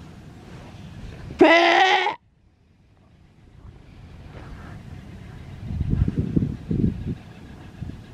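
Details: Rescued sea lion pup at a wildlife sanctuary, begging for attention while awaiting release back to the wild. One loud, harsh bleating cry lasting under a second, rich in harmonics, then quieter low rumbling noise and knocking sounds.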